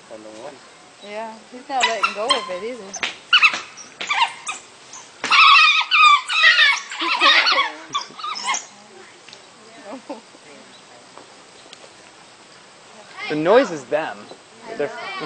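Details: Three African wild dogs at a zoo enclosure crying while they fight over one chew toy: wavering high whining squeals in bursts, some chattering twitters, with people talking nearby.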